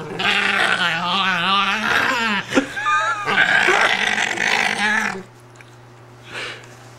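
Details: Female Italian greyhound, upset at being lifted out of her bed, giving wavering, rising and falling whining moans broken into several drawn-out phrases, then falling quiet.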